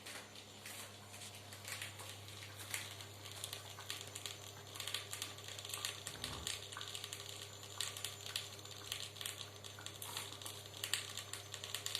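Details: Quiet crinkling and tapping clicks over a steady low hum in a small room, with no animal voice.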